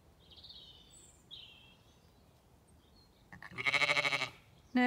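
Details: At a gate on a regenerative farm in County Kilkenny, Ireland, a Zwartbles sheep from a group of ewes and lambs gives one strong, quavering bleat near the end, after high whistled bird notes.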